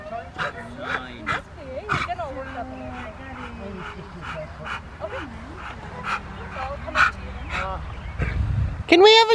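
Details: Rottweiler Poncho in IGP1 protection training at Victoria Rottweiler Club on May 9, 2021, barking sharply in a steady series of about two barks a second while people talk nearby; a loud high cry closes the recording.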